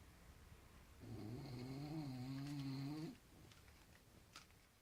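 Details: Dog snoring indoors: one long, steady, droning snore lasting about two seconds with a low buzzing tone, then quiet room noise with faint clicks.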